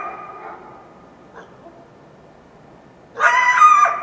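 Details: Wild coyote in the foothills of the Washington Cascades at dawn after a full moon night: faint echoing yelps, a near-silent pause, then a sudden loud, shrill, quavering yelp near the end.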